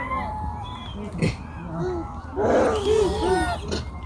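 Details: A baby monkey in China cries loudly in short, arching wails in the forest, with people talking nearby.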